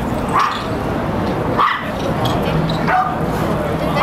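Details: Toy Poodle barking, from the group of Sung Sung, Lum Lum and Silvio: four short, high yappy barks about every 1.2 seconds over a steady, loud background hiss.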